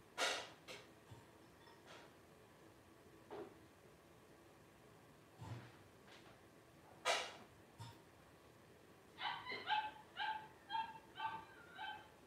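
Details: Newborn litter of five blenheim Cavalier King Charles Spaniels, 12 days old, two girls and three boys: loud clicks and knocks early, then a rapid run of thin, tonal squeaks and whines in the final three seconds.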